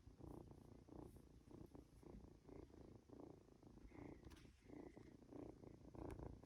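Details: Two-month-old Norwegian Forest Cat kitten purring indoors while being stroked and dozing off; soft, low rumbling purr in steady pulses about two or three per second, with faint rustling of handling.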